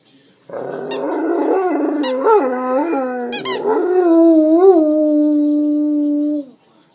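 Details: Great Dane at home howling after squeaking his toy; several toy squeaks break into a wavering, bending howl that settles into a long sustained even tone before stopping abruptly.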